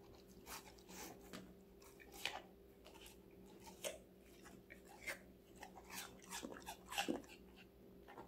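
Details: Five-month-old female Golden Retriever named Connie munching assorted vegetables inside; sharp crunchy bites come every second or so, some louder snaps among softer chewing, over a low electrical hum.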